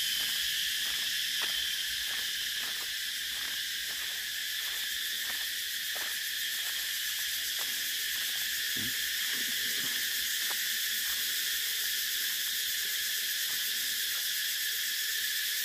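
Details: Cicadas keep up a sustained shrill drone, with faint ticking pulses repeating roughly every half second beneath it and a brief lower sound near the middle.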